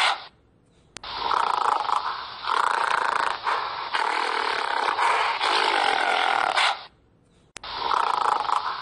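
A gorilla gives long, harsh, rasping roars broken by brief pauses.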